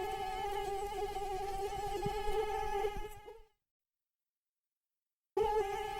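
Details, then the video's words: Near, insistent droning whine of a flying mosquito whose wings beat 300 to 500 times per second. The buzz runs for three seconds, fades out into nearly two seconds of silence, then cuts back in abruptly. "Mosquito sound effect - mosquito flying sound HD"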